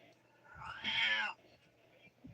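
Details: Male Siamese cat meowing indoors for attention while his owner tries to work and asks him to be quiet; one bright, harmonic meow of about half a second, then near silence with faint room sounds.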